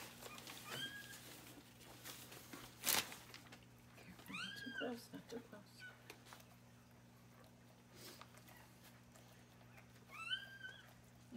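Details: Newborn male bobtail Australian Shepherd puppy, just delivered indoors during whelping and being cleaned up: high, arching squealing cries in about three short bursts, mixed with soft human voices, towel rustling and handling noises.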